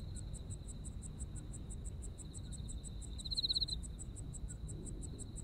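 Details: Autumn insect voices in Japan, with a thin sustained trill and rapid regular chirping pulses above it. One brief louder rattling trill swells past the middle, and a faint low background rumble continues.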